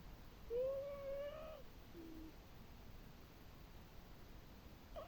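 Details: Sleeping house cat snoring next to its constant sleeping partner; one drawn-out whistled snore lasting about a second, faintly rising with soft overtones, followed by a short quieter wheeze and near silence in a calm room.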